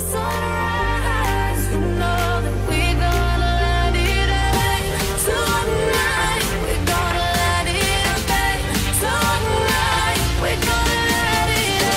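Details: Upbeat electronic pop music with singing runs loud from start to finish, and no goat or other animal can be heard.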